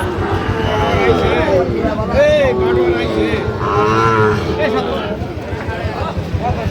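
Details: Sahiwal cattle at a cattle market in Comilla, Bangladesh, on 12 December; a deep, drawn-out moo with a low, steady tone sounds through constant crowd chatter and men bargaining close by.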